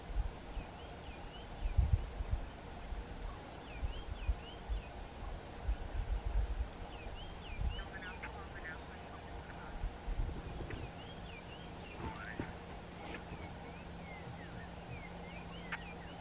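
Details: Dwarf mongoose (Helogale parvula) family in and around Kruger National Park, South Africa: soft, wavering high chirps, scattered and overlapping, over a steady insect hum.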